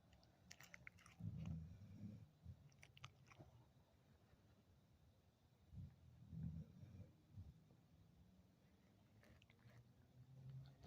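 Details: Sleeping pet dogs snoring indoors: low, rumbling breaths swell roughly every five seconds, each a soft drawn-out rasp, with faint clicks and shuffling between snores.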